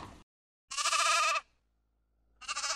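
A sheep gives two wavering, nasal bleats, each under a second long, about a second apart; the second is cut off at the end.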